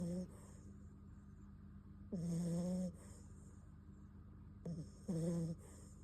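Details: Bon-kun, a Beagle puppy, snoring while asleep: drawn-out nasal tones with a whistly hum, each under a second and roughly three seconds apart, soft breathy hiss between them in a quiet room.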